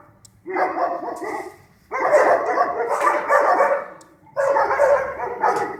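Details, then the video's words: Night-time pack of stray dogs barking in Sarajevo, archival recording: three loud bursts of many overlapping barks and yips, separated by short quiet gaps of about half a second. "Noćni čopor: Lavež pasa lutalica"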